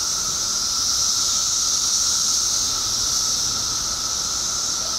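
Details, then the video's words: Periodical cicadas by the billions in Illinois, emerged after 17 years underground, in a dense steady chorus: an unbroken high hiss-like roar with a lower droning band beneath, holding level throughout. "Cicadas Making Noise"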